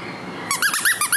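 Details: Young female Maltese, small and lively, indoors: a short quick run of about six high squeaky yips after a moment of quiet room tone.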